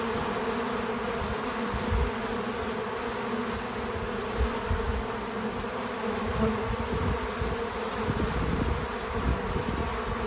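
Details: Outdoors on a small farm, bees gather at a feeder, producing a constant low buzzing hum with faint shifts in pitch as they fly close, plus a few soft low knocks.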